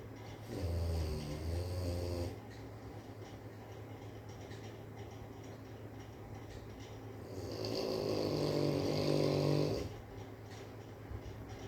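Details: A sleeping Rottweiler snores in two long, low, rattling breaths separated by a quiet pause.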